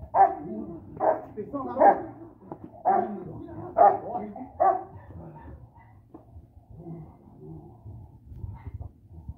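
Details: Boxer-Rottweiler mix, an F1 bandog, during personal protection training. It gives a run of deep barks about once a second for five seconds, then quieter sounds, with a person talking in the background.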